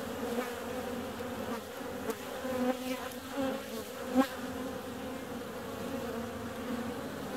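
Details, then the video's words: Warm February day with honey bees on the wing, giving an even, layered humming drone; one bee sweeps close just after four seconds, a short loud zip over the constant buzz. "Bee's out on a warm February day."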